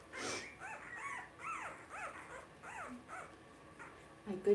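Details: Two-week-old blenheim Cavalier King Charles Spaniel puppies in an indoor pen squeak in a series of short arched whines, about two per second, over soft room noise, ending with a louder bump.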